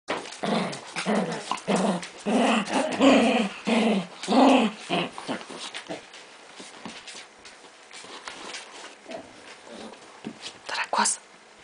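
A Miniature Pinscher gives a quick run of short, throaty, growl-like yips, about two each second.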